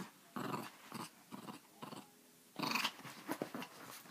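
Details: Pepito the Chihuahua, dubbed crazy, mixes low rumbling growls with several sharp, noisy bark bursts, a louder outburst midway followed by shorter rough snaps.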